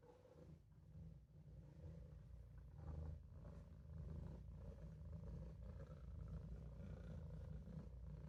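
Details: A Maine Coon kitten named Olof purrs while taking a nap in the sink, giving a deep, continuous rumbling purr that swells gently with each breath and carries on without a break.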